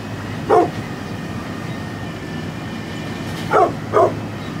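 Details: Three sharp barks from a 9.5-year-old brindle pit bull: one early, then a quick pair about half a second apart near the end, against a constant low droning background.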